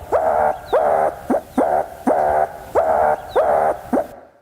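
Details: Meerkat alarm call given to a terrestrial predator close by: longer, loud, harsh rasping calls with a sharp rising onset, about seven in a row at uneven intervals of roughly half a second, noisier and more urgent than distant-predator calls.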